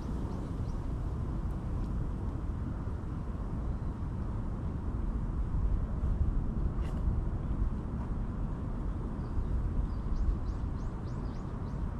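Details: A continuous low rumble of distant traffic fills the outdoor ambience. Only faint, scattered clicks and rustles sit above it, with no clear animal calls.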